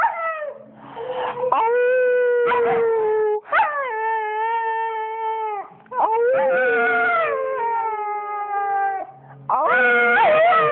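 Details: A female pet dog named Aria answers her owner's howling with a series of sustained, flat, mid-pitched howls, each a few seconds long and separated by short breaks, some opening with a quick rising whine.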